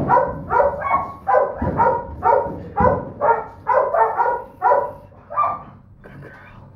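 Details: Third-pick female Donovan Pinscher puppy, the litter's smallest, producing clustered shrill barks, some in quick doubles, that thin out and fade near the end, with faint room noise beneath.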